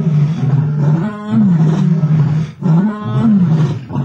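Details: Two male lions fighting over a kill on an African safari; loud continuous snarling roars in two long bursts, each briefly rising then sagging, broken by a short pause.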